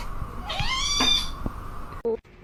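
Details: Kitten giving one drawn-out meow that rises and holds with rich overtones, indoors near someone eating, followed by a short voice and a thump.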